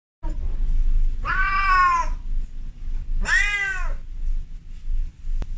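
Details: Female cat in heat calling to a male outside: two drawn-out harmonic meows, each about a second long with an arching pitch, separated by a short pause over low background rumble.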